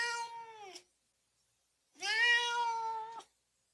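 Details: House cat meowing, a sound played to rouse dogs: two drawn-out harmonic meows, the first falling at its end, the second a long steady wail over a second long, quiet between.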